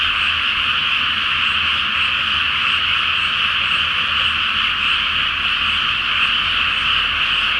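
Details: A nighttime frog chorus rises from a flooded paddy awaiting rice planting, full moon overhead; many overlapping croaks form an unbroken, buzzy drone throughout, with a soft low hum in the background.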